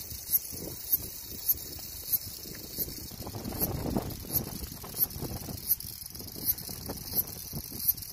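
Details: A cicada sings a continuous shrill buzz, broken by regular ticking pulses about every 0.6 to 0.7 seconds, while a low rumble of background noise rises and falls beneath.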